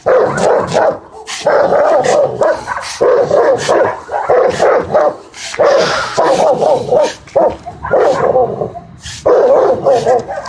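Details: Barking from a Dogo and a Rottweiler as they fight: rough, rapid barks in irregular clusters, roughly one burst per second, loud and continuous across the stretch with only short gaps.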